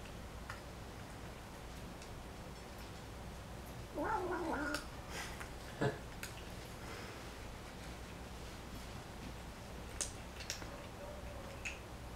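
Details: A young folded-ear kitten (Scottish Fold), described as an American Shorthair bred for folded ears, at her first meal after coming home in Taiwan, lets out a brief, growly, wavering cry while eating, amid soft chewing clicks.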